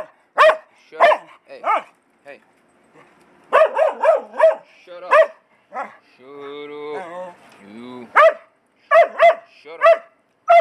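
A dog barks in short, sharp bursts, pausing between volleys, while a person speaks briefly midway.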